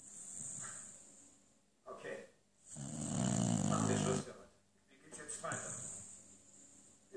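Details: Lucy the beagle asleep in front of the TV gives one long, coarse, rumbling snore mid-clip, framed by shorter breathy snorts and background German television voices.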